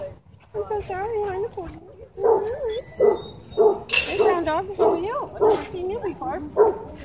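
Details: Dog park play interrupted by a dogfight: wavering, whine-like yelps and barks repeated at a quick, uneven pace, with human voices mixed in.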